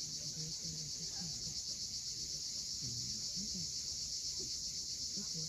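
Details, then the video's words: Cicadas calling at sunset on the steep coast of Cape Fiolent, Crimea: a dense, high, steady buzz pulsing about four times a second, with faint low warbling notes underneath. "Cicadas at sunset."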